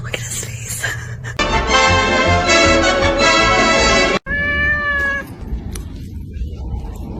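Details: Kitten meowing: a long, steady, strongly harmonic meow of about three seconds, then a shorter, clearer tonal meow after a brief break, with background noise at the edges.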